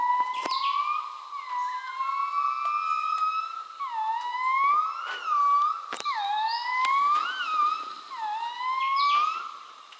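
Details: Gibbons heard in the wild during a forest stay sing pure, sliding whistled notes that sweep upward in repeated, wavering phrases.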